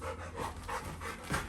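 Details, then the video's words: Little John, a Labrador Retriever puppy, cries at his brother, urging to be taken out for a walk soon; soft tonal whimpers in quick succession, mixed with breathy panting. "Crazy Labrador puppy crying infront of his brother to take him out soon"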